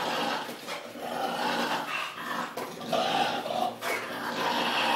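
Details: ['An English bulldog indoors produces a rough, continuous grunting growl with pig-like snorts, rising and falling in loudness over a few seconds.']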